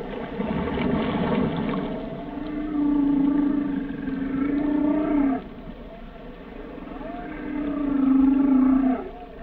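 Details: Whale song made of two long, deep moans rich in overtones, each held several seconds with a slight wavering pitch and sliding down at the end, separated by a short pause.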